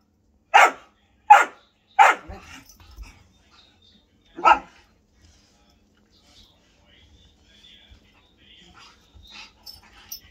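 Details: Male whippet during an impromptu play session: three quick sharp barks in a row, a fourth bark after a pause, then quiet with faint shuffling.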